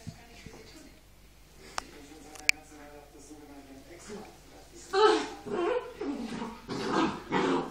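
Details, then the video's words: Puppies fighting over a sock indoors: low growling and whimpering, then louder bursts of rough snarling and yapping in the second half. "Hundewelpen streiten sich um einen Strumf"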